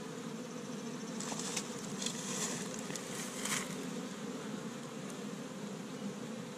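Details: Many honey bees active around an established hive in Michigan on the first warm day of spring, collecting tree-bud pollen; a constant low hum with brief louder buzzes as individual bees fly close, around two and three seconds.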